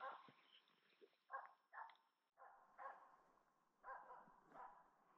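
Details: A female Finnish Spitz hunting in the Lapland taiga in autumn, with a capercaillie grouse in sight, barks in a steady run of sharp, ringing yaps, about eight in five seconds, each bark loud and clipped.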